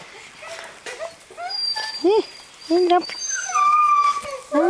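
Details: Seven-week-old Greenland Dog puppies from three litters at play together outdoors in June: short arched yelps and squeaks, then a long thin whine, over a chorus of higher whimpers and faint voices.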